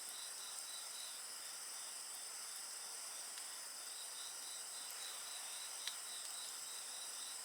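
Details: Many insects sustain layered high trills, with one band pulsing in quick, regular beats. A few faint snaps of a bonfire sound in the background.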